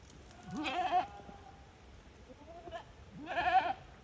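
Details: Farm goats at Yoshigake, 5 December 2023, walking back into their own rooms by routine; two strong quavering bleats roughly two and a half seconds apart, with a faint short cry between them.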